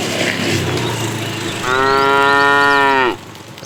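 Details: Fat cow in a tame herd, calling the female in the afternoon: a single sustained, strongly harmonic moo of about one and a half seconds, ending abruptly, over steady noisy background.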